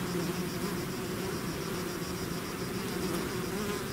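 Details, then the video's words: Bees swarming from their hive give an unbroken, even buzz, a thick low drone with soft fluctuating hums and a thin steady high whine above. "bees therapy swarm natural buzzing sound"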